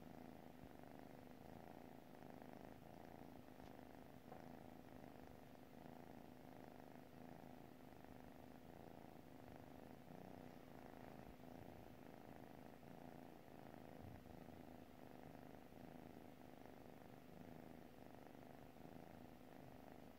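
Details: Cat purring in its sleep, an unbroken, low, buzzing rumble rising and falling rhythmically with each breath throughout, calm and even.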